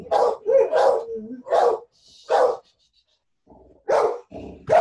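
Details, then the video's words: A neighbour's dog barking, and the other dogs all go ballistic in response. Sharp, harsh barks come in irregular bursts, about six in five seconds, with short silent gaps between them. "But yeah, my neighbor's dog is barking and they all go ballistic."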